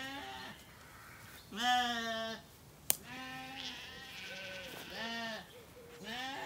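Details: Recently weaned Zwartbles lambs in a County Kilkenny orchard, Ireland, at evening; fairly distant bleats from several lambs, one louder call near the start and a sharp click partway through, over soft background hiss.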